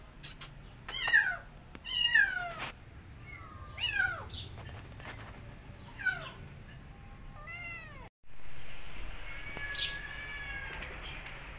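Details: Two abandoned feral kittens, thrown into a house late at night, during a long rescue to catch them; a series of loud, high, downward-sliding meows, then a steady broad rushing noise from about eight seconds on.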